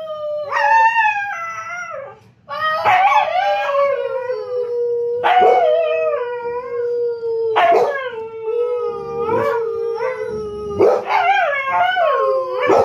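A husky gives long, drawn-out howls that slide gently downward, broken by short yelping rises.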